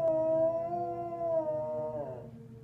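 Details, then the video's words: Collie howling at the monthly tornado siren: a steady, slightly wavering harmonic howl that slides down and breaks into a quivering tail before fading out. "Collie howlers"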